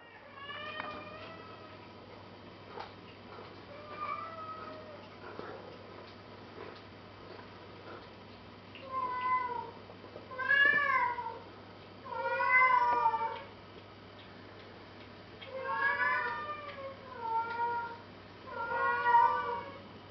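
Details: A cat that cannot get down meows plaintively and repeatedly; rising-falling, wavering cries come in irregular bursts, growing louder and closer together toward the end, over a steady low hum.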